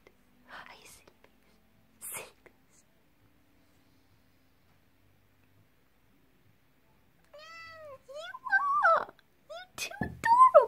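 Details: A playful female Devon Rex cat (Felis catus) gives a quick run of short, rising-and-falling greeting meows while a person talks softly.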